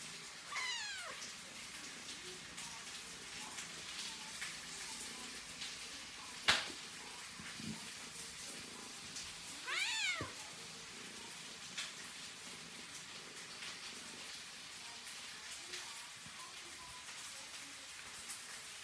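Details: A female Scottish Fold cat gives two drawn-out, falling meows, asking for something she wants.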